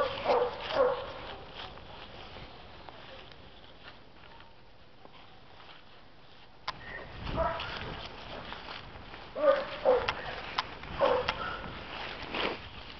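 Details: Betsie, a female Black and Tan Coonhound at an animal shelter awaiting adoption after a court-ordered surrender, November 2014; a few short harmonic barks near the start and again around ten to eleven seconds, with quieter stretches and human voices between.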